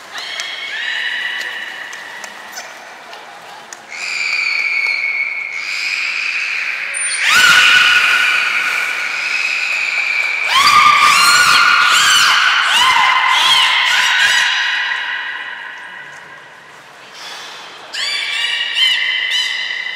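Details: Belugas Nana, Mirai and Niko training at Port of Nagoya Public Aquarium, January 2021: a long run of varied harmonic calls, squeals and whinny-like notes with bursts of broadband crackle and clicks, then a short pause and renewed squeaky calls.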